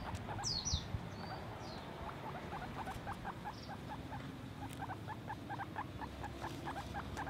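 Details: A guinea pig makes quick repeated short pulses, several per second. A few high whistled sweeps sound near the start.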